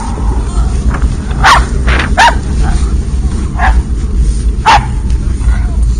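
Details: Barking from a group of three and a half dogs on a cold outing: about five short, sharp barks spaced roughly a second apart. Low rumbling noise and faint voices carry on behind them.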